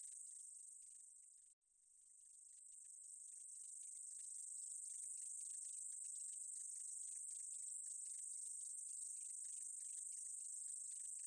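A meadow katydid produces a thin, high-pitched continuous buzz that runs almost without pause. Fast, regular ticks are woven through the hiss, and it breaks off once briefly near the start before resuming.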